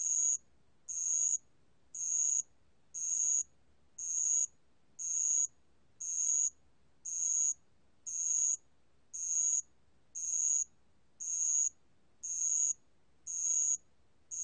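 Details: Spotted bell cricket (알락방울벌레), a 2020 national biological resources recording: evenly spaced, high-pitched buzzing trills of about half a second each, repeating about once a second against a quiet background.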